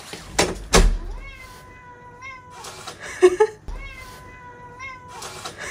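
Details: Male British Shorthair house cat on its owner's lap, voicing two drawn-out, steady, plaintive meows of more than a second each, separated by a short squeak, with knocking and handling thumps at the start.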